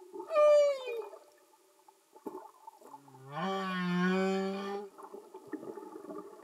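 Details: Humpback whale song underwater, no music: a quick high falling whistle-like cry, then after a pause a sustained rich groaning unit with many harmonics and a low rumbling base, faint background crackle.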